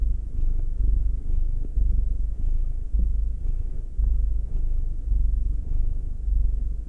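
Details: Domestic cats purring while being massaged: a steady low rumbling purr, pulsing in slow swells roughly every second, with all energy at the bottom of the range and a few faint soft clicks and rustles.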